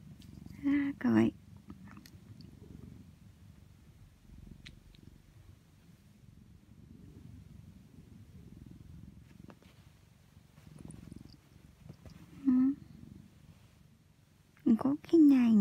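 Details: Affectionate orange tabby cat lying on its owner in winter, purring while being patted on the rump, filmed with an iPhone. A continuous soft, low throbbing purr runs throughout, broken by short bursts of a woman's cooing speech.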